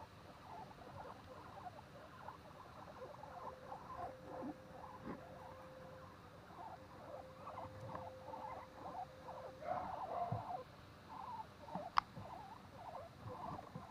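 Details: Guinea pigs at Okinawa Zoo & Museum in Okinawa City, Japan, on 30 April 2021, making rapid series of short, soft squeaky chirps that patter along steadily, a thin steady hum in the background and one sharp click near the end.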